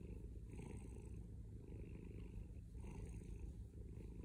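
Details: Deep, loud purring from a male domestic cat, a buzzing low vibration continuing without pause, with two brief breathier swells as he breathes in, recorded at very close range.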